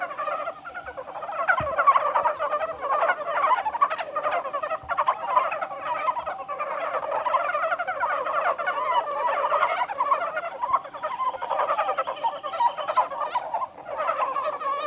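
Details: Many Japanese brown frogs calling together at Kawaguchiko Field Center, Japan, 1 March 2020, with a continuous warbling chorus of fast, stuttering croak series that swell and fade across fifteen seconds, plus a few soft thumps.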